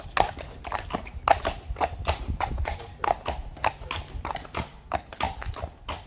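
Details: Friesian mares turned out where there is plenty of grass; crisp, clattering hoof impacts follow one another about every half second, loud and close, over a faint low background rumble.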